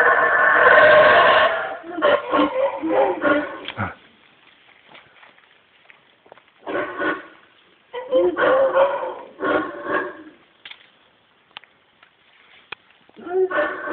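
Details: A single male howler monkey high in the trees of a Guatemalan jungle, roaring as it does whenever it rains, gives loud, guttural, rasping roars. Bouts of rhythmic throaty pulses swell and fade, with brief quieter gaps between them. It is irritated by the observers and shakes branches.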